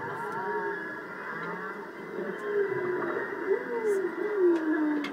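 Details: Whales calling in the ocean off Maui, with a young whale nearby: long tonal moans that glide up and down in pitch and overlap one another, set against a steady background hiss.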